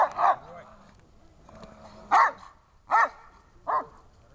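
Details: Dobermann in protection training giving four loud, sharp harmonic barks, one near the start and three more spaced roughly a second apart toward the end, with a faint low hum and quiet background between them.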